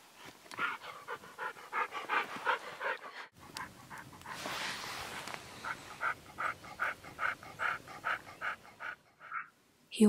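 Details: Max, the old 12-year-old husky, pants in steady breathy bursts, broken by a brief silence and a stretch of hissy noise before the rhythmic panting resumes, ending with a sharp knock.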